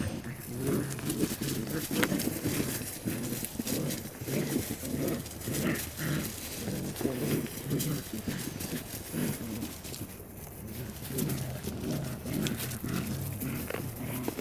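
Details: Several Border Collie pups playing together, producing a continuous run of low, pulsing growls roughly twice a second, rough and irregular, over scuffling background noise.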